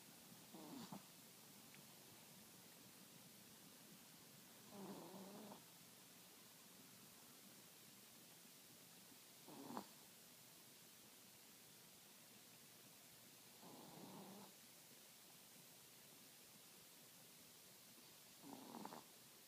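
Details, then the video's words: Sleeping Chihuahua snoring: soft, raspy breath bursts come roughly every four to five seconds. Some are longer and hissy, others short nasal snorts, all over a steady background hiss. "Snoring Chihuahua"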